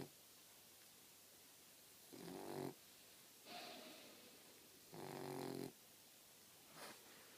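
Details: Lola, a 4-month-old Boxer puppy, fast asleep indoors and snoring: rough, low rasping snores in bursts of under a second, about four in seven seconds with quiet gaps between, the last one short and soft.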